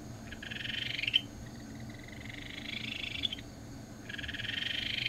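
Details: Ryukyu Kajika frog of the Tokara, Amami and Okinawa islands: fainter, nearly continuous high pulsed trills that overlap and slide slightly upward, over a noticeable low background hum.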